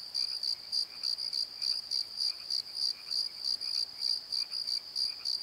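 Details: Night crickets in a valley bottom keep up a bright, high-pitched trill broken into rhythmic pulses roughly three per second, backed by a constant shrill drone.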